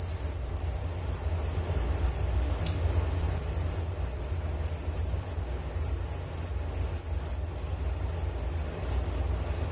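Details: Continuous cricket chorus: an unbroken shrill ringing tone with finely pulsed texture and a faint higher overtone, set over a steady low background hum.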